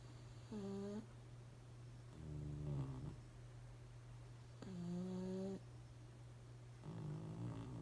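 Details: Sleeping pugs snoring without noticing the camera: about four rough snore bursts roughly every two seconds, alternating between higher harmonic wheezes and deeper rattling breaths, over a constant low hum in a quiet room.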